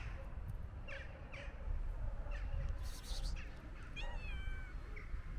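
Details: White stray cat with beautiful eyes running up to a person, giving several short, fairly quiet meows, two close together near the start and a longer wavering one that rises then falls, over low outdoor rumble and brief hissing bursts.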